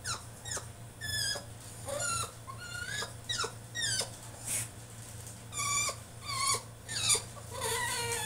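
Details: Caged French Bulldog in a tantrum: a steady run of high, thin whines and yelps, each sliding down in pitch, repeated roughly every half second to second with brief pauses, in a small indoor room.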